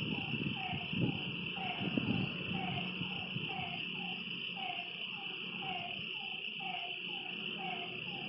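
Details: Frogs calling at night by a lake: short, slightly falling mid-pitched notes repeated roughly once a second, set against a steady high insect trill and some low rumbling.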